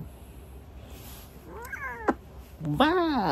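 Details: Domestic cat meowing softly in winter while eating; a short rising-falling mew, a sharp click, then a louder, drawn-out meow that arcs up and slides down, over faint room hum.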